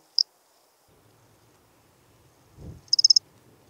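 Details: Lesser field-cricket (Melanogryllus desertus) recorded at Breitenbrunn, Austria, on 23 May 2021 using an ultrasound detector: one brief high chirp, then a rapid burst of about five sharp high pulses, with a soft low thump between.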